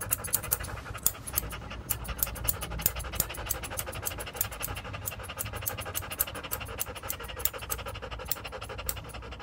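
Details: During a grooming session in Paris 8, Joe the standard poodle keeps up brisk, breathy panting in short regular puffs, set against a strong continuous low rumble like a machine running nearby.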